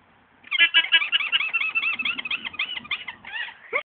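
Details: At AlpakkaBromma in Norway, an alpaca makes a funny, hilarious sound: a loud stream of high, squeaky, gurgling notes in quick succession for about three seconds, ending in a sharp rising squeal.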